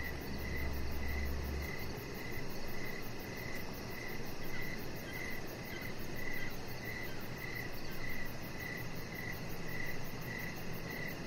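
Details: Crickets chirping outdoors in the evening beside a deck where a chihuahua puppy lies under decoration lights; short, bright chirps repeat about every half second, steady throughout, over a constant low rumble and a faint, faster high-pitched pulsing.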